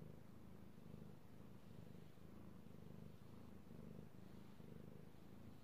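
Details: Petted domestic cat, male, recorded 16 March 2018, purring contentedly: a low vibrating drone that swells and fades about once per second, with faint rustling over the top.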